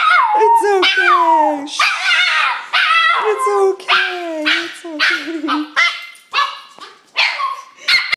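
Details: Excited greeting from Lucy the dog as her owner comes home: sliding whines and howling yelps in uneven bursts roughly twice a second, with a person's soothing voice mixed in.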